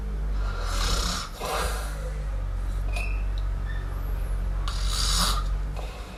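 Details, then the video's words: The sleeping kitten Miumiu snores with two long, breathy rasps a few seconds apart. A low rumbling background and a brief thin squeak come between them. "Cute Kitten Snore! Cute Miumiu Snore"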